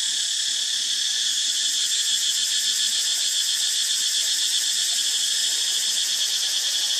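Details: Cicadas at an archaeological site where monkeys live, filling the air with a loud, continuous, high, hissing buzz that pulses rapidly and steadily with no pauses.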